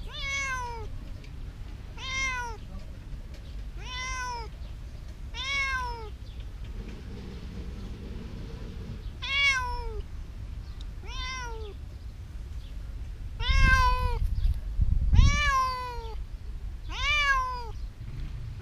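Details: A cat meows while hiding, giving about ten harmonic, slightly downward-curving meows in irregular bursts, with a short quiet gap midway and a few low thumps near the end against a faint hum.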